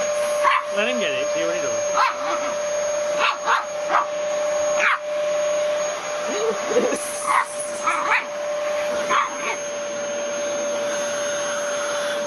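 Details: Pet dog reacting to a running vacuum cleaner, giving short sharp barks spaced every second or so over a steady machine drone, with people talking nearby.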